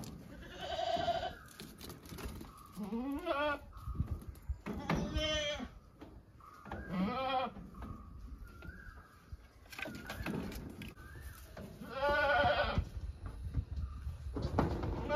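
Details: Domestic goats bleating repeatedly, wavering harmonic bleats at roughly one- to two-second gaps, some overlapping, over low background rumble and faint voices.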